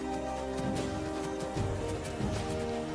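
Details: Dramatic orchestral music with sustained tones and percussive hits; no animal sounds stand out.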